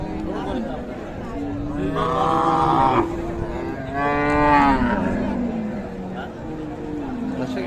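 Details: At the Raniganj livestock market in Dinajpur on 7 April, among beef bulls and cows for sale, a bovine gives two loud, drawn-out lowing moos near the second and fourth seconds, over a background of human voices and market chatter.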